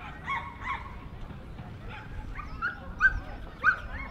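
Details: Jack Russell Terrier at the Jack Russell Terrier Club of NSW Speciality Show, Dogs NSW Showgrounds, Orchard Hills, on 15 October 2015. Short, high yapping barks come in scattered pairs and singles over a low indoor murmur.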